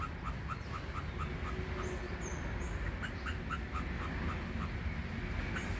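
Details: Indochinese ground squirrel near its nest, giving short clipped chirps in quick bursts with brief pauses between them, against low rumbling background noise.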